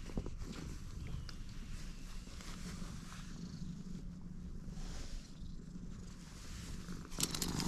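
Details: Stray cat purring right after meeting, filmed outdoors: a low grainy rumble running steadily throughout, with faint outdoor background and a few handling noises toward the end.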